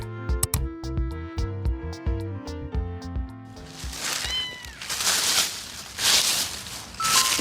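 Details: Upbeat music gives way to a plaintive, falling meow from a kitten found alone in town, crying for its mother, then a brief second cry, half-buried in hissing background noise.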